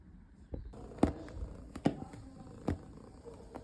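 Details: Relaxed house cat purring, a quiet continuous low rumble with three sharp clicks spaced through the short stretch.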